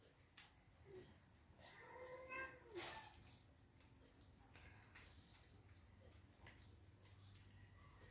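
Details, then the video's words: Domestic cats squabbling while they wait for breakfast; one short rising-then-falling meow about two seconds in, faint against household background noise, with a person speaking nearby. "A cats fights while waiting for their breakfast"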